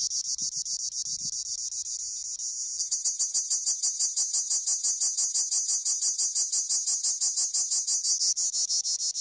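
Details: A cricket, recorded while Honamlı goats were being herded, keeps up a high, shrill trill, pulsing in rapid, steady chirps about three times a second.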